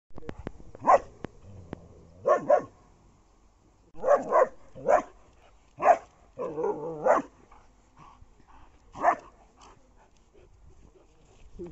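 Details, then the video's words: German Shepherd in a fight with a street dog, the street dog afraid: sharp, loud single barks and short doubled barks spaced irregularly over about ten seconds, with brief growly bursts between them. "German shepherd vs street dog | fight | Street dog afraid"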